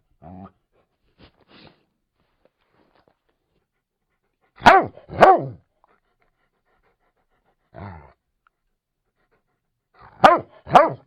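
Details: Labrador Retriever barking in loud, sharp doubled barks, each pair spaced several seconds apart, with a few softer huffs and a short low woof in between; otherwise silent.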